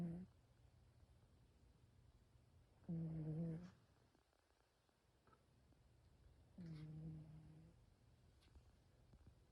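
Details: Sleeping cat snoring softly in a small room, two low droning breaths about four seconds apart, each lasting under a second, against quiet background hum.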